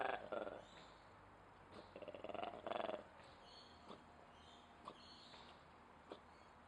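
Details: Ape at Duisburg Zoo making odd noises: a few short, harsh pulsed bursts in quick series, then a quieter stretch with scattered faint clicks and knocks over a steady background hum.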